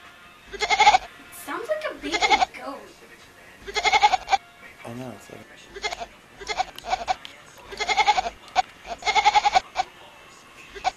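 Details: Kitten calling with a goat-like, bleating meow: quavering, trembling cries repeated about every one to two seconds, roughly eight calls, with some speech-like sounds between them.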